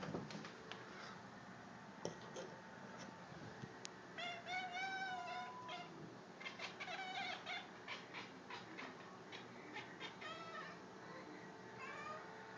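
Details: Male house cat making strange noises: fast trains of clicks and stuttering chirps, broken by brief wavering tonal calls near four and six seconds. The sounds are fairly faint against a steady background hiss.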